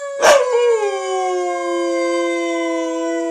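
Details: Pet wolf-dog Gracie in a comforting family howl: after a brief sharp noise, one sustained, clear, slightly falling howl holds a steady pitch for about three seconds.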